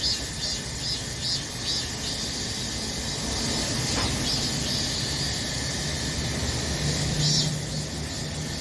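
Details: Cicadas in summer droning in a constant high-pitched buzz with gentle pulses, a low hum and a brief passing sound beneath.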